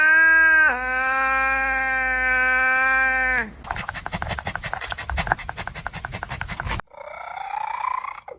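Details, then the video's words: A cat makes a long, steady, drawn-out yowl of about three seconds with rich overtones, then a stretch of crackly noise, and ends with a short, rising, nasal whine. "Weird Cat Sounds"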